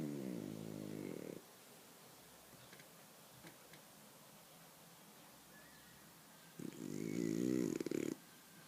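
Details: Sleeping dog snoring like a steam engine: two long, low, buzzing rasping snores, one at the start and one near the end, with quiet pauses between.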